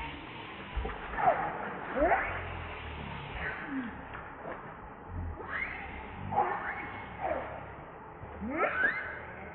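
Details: Hungry baby monkey Rainbow begging for milk as its mother rejects it; short, sharp, squealing cries with rising and falling pitch, in scattered bouts, over soft rustling and handling noise.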